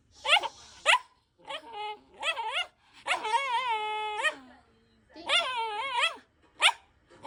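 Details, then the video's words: Shiba Inu producing a run of yowling, whining calls, some long and wavering, others short yips, in bursts roughly every second, with brief human speech nearby. "Shiba sounds"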